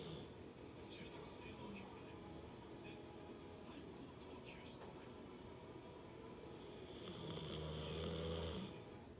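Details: American Pit Bull Terrier named Hachibei sleeping soundly; faint voices and soft noises come first, then one drawn-out, droning snore with an airy rasp swells near the end.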